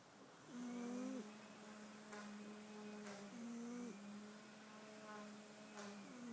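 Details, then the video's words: Snoring cat, a sleeping pet heard in a small quiet space: a low, steady hum runs throughout, broken by short humming snores that swell and stop roughly every two to three seconds. "Snoring cat"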